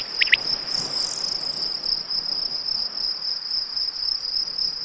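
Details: Field crickets chirp close by in a steady, high, rapidly pulsing ring that never lets up. Two brief higher notes slip in near the start, from a recording that also features quail, corn bunting, raven, bees and cuckoo.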